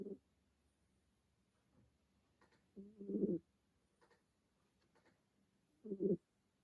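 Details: Kitten named Remi snoring through a hard-earned nap indoors; soft, low rasping snore bursts recur roughly every three seconds with quiet pauses of breathing between them in a still room.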